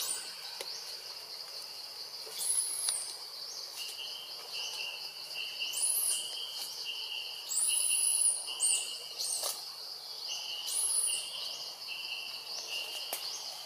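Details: Monkey named Jazzy crying loudly when Jane, another monkey, fails to come and help; scattered high arched squeals come in short bouts against constant buzzing insects.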